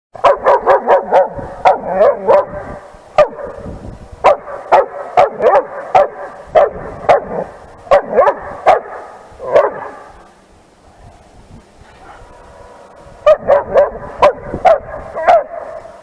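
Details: Diacy, a 10-month-old long-coated trained German Shepherd, barks at other dogs; loud bursts of sharp repeated barks, several a second, in runs separated by short pauses, with a quieter lull around ten to thirteen seconds before barking resumes.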